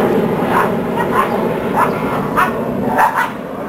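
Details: Caiman, a seven-month-old Belgian Malinois, barking during obedience training; six short, sharp barks come in an uneven series roughly every half second over a steady low background hum.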